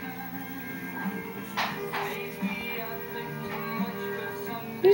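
Music with steady tonal harmonies plays throughout, with faint speech and no clear animal sounds.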